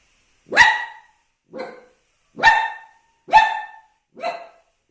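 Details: Young dog seeing himself in a mirror for the first time gives five crisp barks in about four seconds, loud ones alternating with quieter, shorter yaps, clean background.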